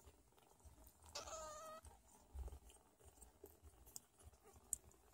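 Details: Sphynx cat mother with her meowing baby kittens while nursing and caring for them: one short, steady, nasal meow of under a second, followed by quiet rustles and soft clicks.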